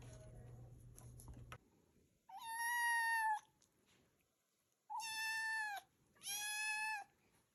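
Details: Cats and kittens: three loud, clear meows with strong harmonics, the first long and steady, the last two shorter and close together, separated by quiet gaps; a brief low hum at the start.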